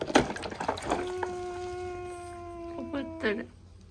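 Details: A young Asian small-clawed otter complains in a pool while being bathed, giving a sustained, even-pitched nasal whine over two seconds long that dips slightly at the end; splashing water and brief human sounds come before it.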